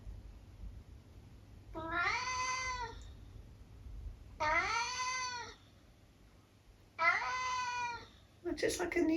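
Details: Eric, a tabby house cat indoors at breakfast time, slightly damp from wet weather outside, gives three drawn-out conversational meows, each about a second long with a rising then falling tone, spaced a couple of seconds apart in a quiet room.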